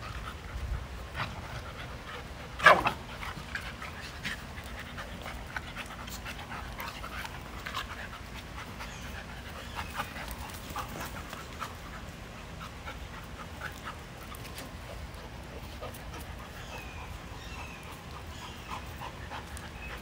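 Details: Dogs playing in a yard, breathing in steady, soft, breathy pants throughout, with one loud sharp knock early on and faint scuffling and outdoor background noise.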